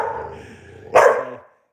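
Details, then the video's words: Dogs barking outside heard during a live stream; a faint drawn-out tonal sound first, then one sharp, loud bark that fades quickly. "There's dogs barking outside. You can hear them."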